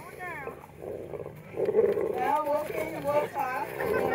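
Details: Wolves at Wolf Park, recorded May 23, 2010, give wavering, rising and falling tonal howls in several overlapping voices over a steady low rumble.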